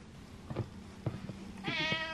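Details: Male pet cat craving attention meows once, a rich drawn-out cry after a few dull thumps and bumps.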